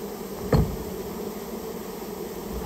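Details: Japanese honey bees from a nest inside a storehouse, during removal of the colony: an even low drone of massed wingbeats, interrupted by a single sharp thud early on.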